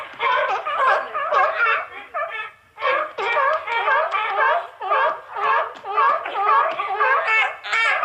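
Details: Seal. A seal barks over and over, each call rough and nasal with a honking, laugh-like quality. The barks come in bursts of about two per second, broken by a short pause before the next run.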